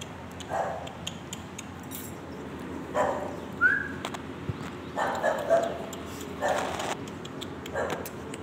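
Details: A female white-and-brown English Bulldog in Jaipur, India, gives short, gruff barks spaced a second or two apart.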